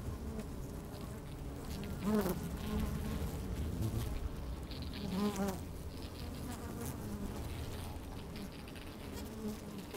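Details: Worker honey bees busy in an opened hive on a fine day, recorded from within the hive. A continuous low drone carries brief, rising, whiny buzzes about every three seconds as individual bees fly close.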